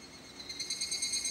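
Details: Higurashi, a Japanese cicada, producing a high, steady metallic ringing with stacked tonal bands, gently pulsing and swelling in loudness over the short stretch.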